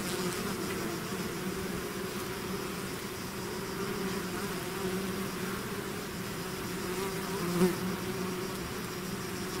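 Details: Bees swarming out of their hive make a continuous even hum, layered low tones holding steady throughout, with one brief louder pass of a nearby bee near the end.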